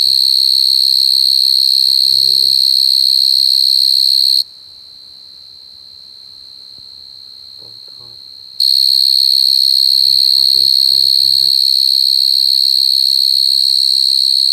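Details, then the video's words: Coconut crickets crying in a continuous high-pitched trill that cuts out for about four seconds midway and then resumes just as strongly. Soft low sounds occur now and then in the background. "Crying coconut crickets សត្វចង្រិតដូងយំ"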